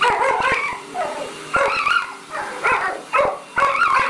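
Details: Dog barking at a vacuum cleaner: a burst of sharp barks at first, then five spaced loud barks about every half second, all over the steady drone of the running machine.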